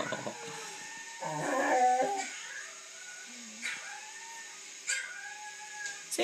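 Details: A female Siberian Husky puppy, being taught to howl by a boy, gives thin, drawn-out howls that rise then slide down, mixed with his coaxing voice. A collie is present.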